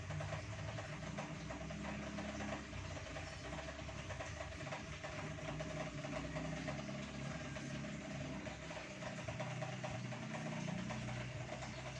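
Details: Quiet steady engine or machine hum with low droning tones continues throughout, without any audible animal sound.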